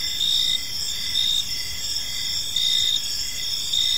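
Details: Crickets chirping in a park as evening falls, a dense high-pitched shimmer layered with pulsed chirps that swell roughly every second over a steady insect chorus.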